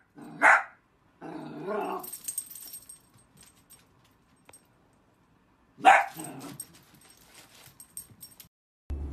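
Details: Dachshund puppies at play let out two short, sharp barks about five seconds apart, with a brief stretch of softer sound after the first and quiet around them.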